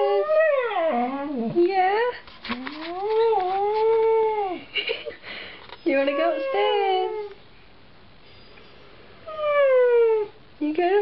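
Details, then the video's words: Indoor husky 'talking' back to its owner, who keeps asking about going upstairs: swooping, wavering howl-like moans and grumbles in several bursts separated by pauses. "husky: Talking"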